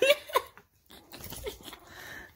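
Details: Toy Australian shepherd playing with a cavalier puppy too young to play back; two short high whining yelps in the first half second, then a pause and soft rustling and breathy sounds.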